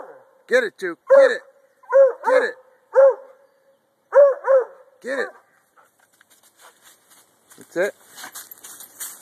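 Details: Barking from a male Treeing Walker Coonhound at a tree, an activity he would stay on for hours; a run of quick, ringing barks singly and in pairs, then a quieter stretch with faint rustling and a voice.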